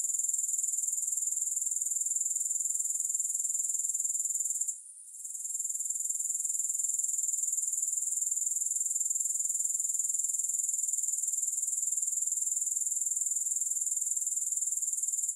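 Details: Long unbroken wash of grasshopper sound, a thin, very high rasping trill with quick regular pulses, interrupted once by a short dip around the fifth second before resuming at full strength; nothing else is audible.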